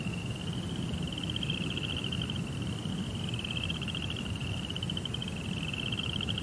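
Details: Crickets chirping at night in a tranquil Japanese rock garden with koi pond; rapid high pulses form near-unbroken trilled phrases of about a second each, with a soft low hum underneath.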